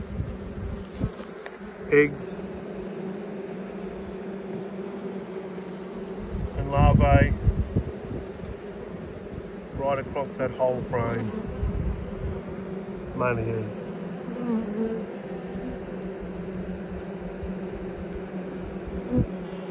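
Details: A honey bee colony in autumn, during an inspection of a hive whose colony swarmed and raised a new queen. A dense low hum runs steadily throughout, broken by several short bursts of human talking.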